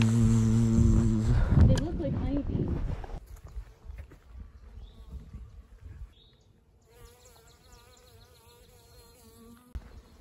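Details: A faint, steady hum of many honey bees drones on after a person's voice fades, on a forest trail in the Smoky Mountains along the Appalachian Trail.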